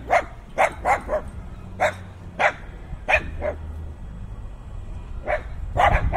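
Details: Dogs barking fiercely in a binaural in-ear recording made in heavy wind: sharp, evenly spaced barks roughly every half second, some in quick pairs, with steady low wind rumble throughout.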